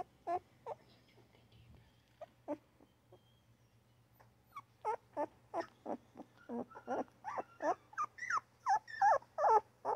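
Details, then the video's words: Newborn puppy whimpering: a few sparse, quiet squeaks at first, then from the midpoint a steady run of rising and falling whines that grow louder toward the end, over a faint low hum. "Newborn puppy crying, yapping and grunting!!"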